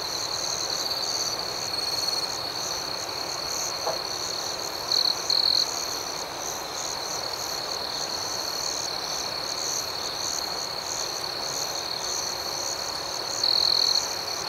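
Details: Crickets chirping through the night: a constant shrill trill under a pulsing higher layer, interrupted by short louder chirp bursts near five seconds and again near thirteen and a half seconds.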